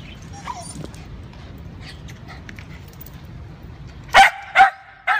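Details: Lakeland Terrier, a pet terrier at a pet store, gives three short sharp barks near the end after a quiet stretch of faint background sounds.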